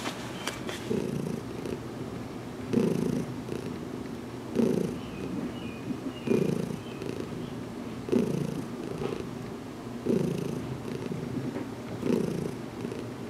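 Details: Domestic cat purring during a head massage, calm after weeks of getting used to being touched; deep rhythmic rumble swelling about every two seconds in regular breaths, with light rustling and a brief faint squeak.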